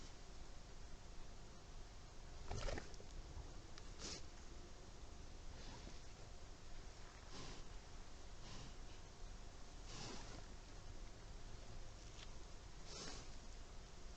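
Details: Moose caught on Vvedensky camera traps, sneezing: five or six short, breathy, noisy bursts spaced a few seconds apart over a steady background hiss.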